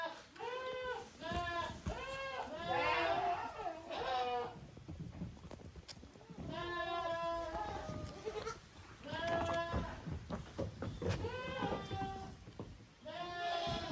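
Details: Kids of the goats Koharu and Okayu play as two teams in the exercise yard of Yoshigake, a handmade goat farm in Japan, 13 June 2023. Several kids bleat repeatedly in short wavering bursts, with scuffling and thumps.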